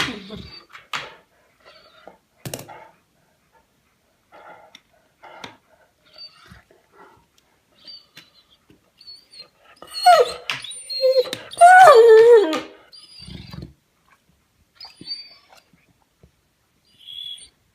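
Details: A Weimaraner being ignored on the sofa gives a wavering, horse-like groaning whine to demand attention between quiet snuffles and yawns.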